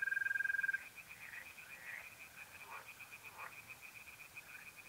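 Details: Singing tree frogs in a North-East Italian pond on an April night give a quick, regular rattle of croaks across the whole stretch; a brief, steady mole cricket trill opens it.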